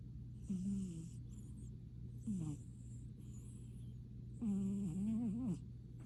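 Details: A little kitten in deep sleep after a hard day of playtime, snoring with slow, drawn-out breaths, each a low droning rasp with wavering tones, three snores in about six seconds over a steady background hum.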